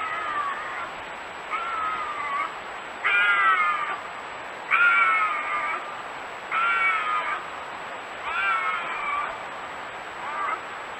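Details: Bobcat howls, offered as a natural deterrent for raccoons and rodents: a series of about six short, nasal, meow-like wails, each under a second, with slightly wavering pitch and rising then falling at the ends, spaced roughly every one to two seconds over a faint steady hiss.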